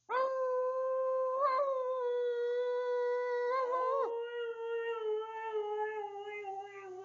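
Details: Tuscany, a 12-year-old pet Siberian Husky, in the family room: a sustained, steady howl held on one pitch, with brief breaks and wavering shifts around one and four seconds, then a slowly falling, quavering tail.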